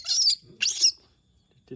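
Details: Monkey crying out for its humans. There are two short, breathy, very high-pitched squeals about half a second apart, followed by near silence and a faint voice at the end.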